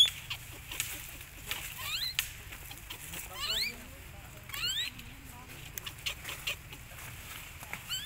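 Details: Baby monkey named Leo crying and begging its mother for milk while hungry: a run of thin, high squeals, each sweeping sharply upward, several clustered close together with short gaps, over faint background rustle and clicks.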